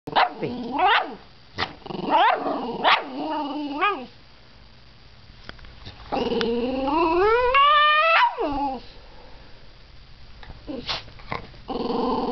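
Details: Dog giving short, sharp vocal bursts, then a long, rising, whining howl held for about two seconds, followed by quieter yelps and a final loud burst, with a faint low hum behind.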